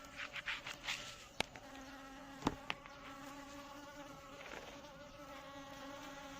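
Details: Drone of Asian honey bees (Apis cerana indica): the hum starts with uneven swells and a few loud sharp taps, then settles into a steady, even tone with layered overtones.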